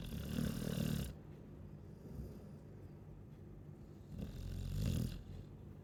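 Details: Sleeping Chow Chow gives low, rumbling snores, one at the start and another about four seconds later, with soft breathing noise between them.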